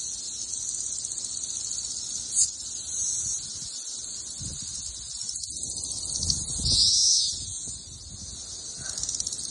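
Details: Thousands of cicadas swarming a backyard in Missouri during the 2024 summer emergence, a dense steady high-pitched droning chorus filling the whole clip, with faint rustling and brief low thumps underneath.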